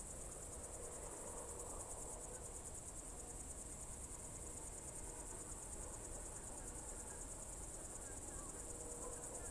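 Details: June 2023 evening in the Novye Buregi tract, Novgorod Oblast, Russia: crickets keep up a constant high, shimmering pulsed song, over a faint low drone and occasional soft distant notes.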